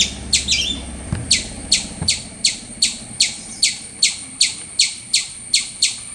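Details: Loud squirrel call series of crisp, high, evenly spaced chirps, about two and a half per second, with a couple of soft thumps early on.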